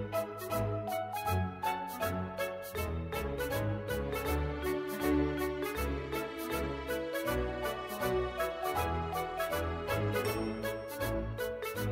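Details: Gentle instrumental background music with plucked, bell-like notes and a steady beat throughout, and no animal sounds.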